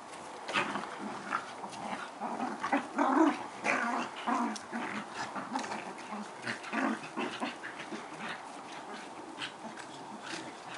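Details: Pair of collie-cross dogs play fighting, keeping up a steady run of grumbling growls and snarls, roughly two bursts a second, with uneven loudness throughout.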